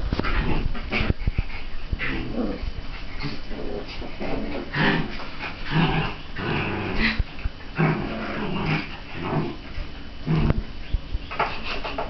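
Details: Young Border Collie at 47 days old, with an older 5½-month-old dog nearby: dense run of harsh, grumbling growls and scuffly bursts, irregular and closely packed throughout.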